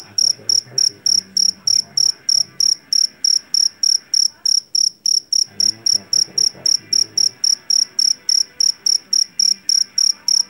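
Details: Shrill chirping of a jangkrik jeliteng, a Javanese field cricket taken from a rice paddy, sharp high pulses repeating about three times per second without pause, low muffled background rumble below.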